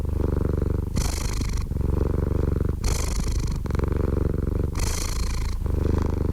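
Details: Purring cat heard up close, deep vibrating drone with three strong breathy swells spaced about two seconds apart, each lasting under a second.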